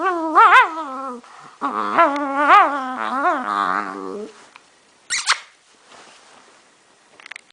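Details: Strange noises from a male pet dog: a few drawn-out, wavering whines and moans rising and falling in pitch, then quiet with a short sharp squeak and faint rustling.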